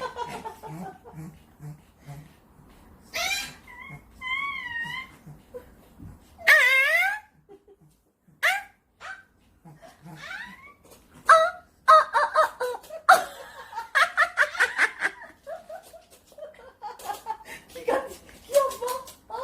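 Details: Pet Chihuahua sisters indoors react to strange sounds made by their owner: high, wavering whines sliding up and down, then a lively run of quick yips and short sharp barks, with a woman's voice early on.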